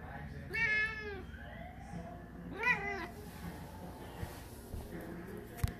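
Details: Six-month-old Maine Coon cat indoors, giving two drawn-out, harmonic-rich meows about two seconds apart, the second shorter and slightly higher; low background hum and a few faint knocks follow.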